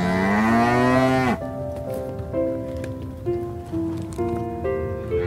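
A cow gives one deep, drawn-out moo that swells and rises slightly, then gentle music takes over.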